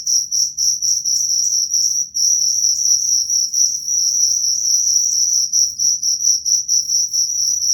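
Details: Cricket call used to repel rats, a bright high-pitched chirp pulsing roughly twice per second, brief pause near two seconds, faint low rumble underneath.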